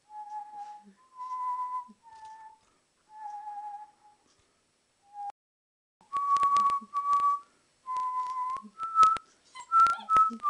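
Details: Alaskan Malamute puppy aged two months, howling while it plays: a string of tonal whining notes, softer and lower at first, then louder, higher and more frequent, mixed with sharp clicks and scuffling sounds of play.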